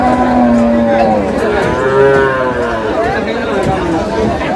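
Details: Cattle at the Aftabganj livestock market, Nawabganj, Dinajpur, Bangladesh, on Saturday 1 August 2026, where improved-breed dairy cows and calves are sold. A long, drawn-out harmonic moo slowly rises then falls, over crowd chatter.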